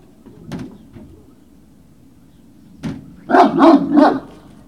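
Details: Great Danes recorded at Puppy Hill, 19 February 2019, evening: a few faint yips, then three loud, quick barks in a row near the end, over a constant low background hum.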